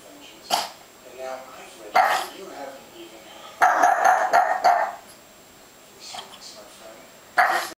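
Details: Frightened pet dog barks at graduation balloons, a few short separate barks with a longer burst in the middle, people's voices audible in the background.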